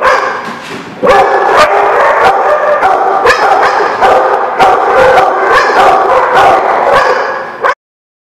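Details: Many dogs bark at once on 4/7/17, a loud, nonstop volley of sharp barks and yips, faster than before at about 150 per minute, stacked over a continuous noisy whine before cutting off abruptly near the end.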